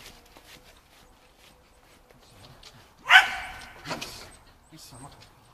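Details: A Shetland Sheepdog named Shaun gives one loud, sharp bark while training agility on the dog walk with running contacts, 11 November 2013. A softer second yelp follows, with low background noise before and after.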